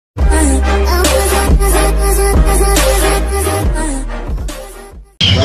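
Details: Heavy bass-driven hip hop music with a steady beat plays throughout, with no animal sound heard.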